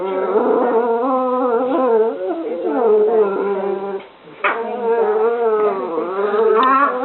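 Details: Two pet dogs at play, giving nearly continuous moaning, howl-like whines with strong harmonics that waver and slide in pitch, broken by one short pause near the middle.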